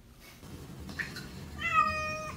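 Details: Male Norwegian Forest Cat just after his first shower, which he did not fear: one short, level, tonal meow near the end, preceded by faint soft knocks and room noise.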